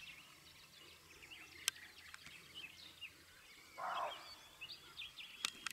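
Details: Female roe deer barking near a male, recorded 16 May 2022: one short, hoarse, gruff bark near the middle, set against busy twittering birdsong.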